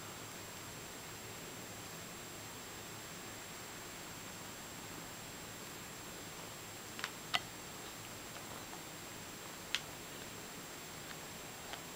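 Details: Quiet indoor room tone with a steady high electronic whine, faint rustling and a few sharp ticks near the end; no animal voice stands out.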